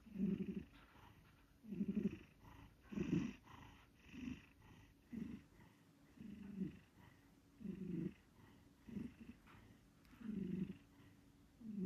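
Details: Snoring from a sleeping cat: soft, low grumbling breaths spaced about two seconds apart, fairly regular, in an otherwise quiet setting.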